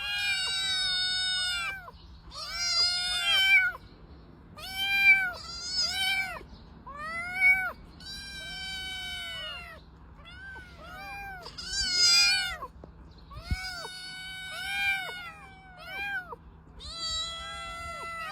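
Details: Cat giving a long series of meows, each an arched, nasal mew lasting under a second, spaced a couple of seconds apart and varying in loudness, over a low steady hum.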